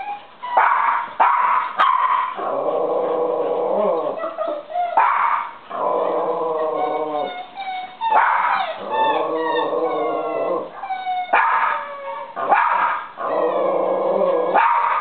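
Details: Black Labrador Venus and eight-month-old Kai Ken Kotetsu in a dog wrestling match, trading growls, yips and whining, howl-like cries, loud overlapping bouts that stop and restart every few seconds.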